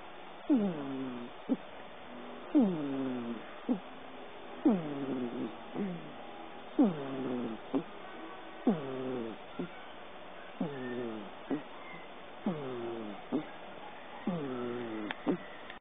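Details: Domestic cat dozing on a person's lap while dreaming, snoring rhythmically: squeaky, sliding-down voiced snores with a brief tick between them, roughly every two seconds, eight cycles, quiet indoor background.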